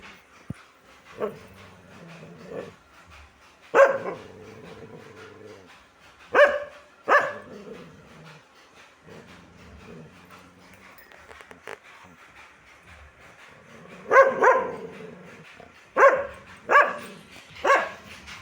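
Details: A dog barks in irregular bursts, single and doubled barks spaced by several seconds of low background rumble, with clusters near the start, middle and end of the stretch.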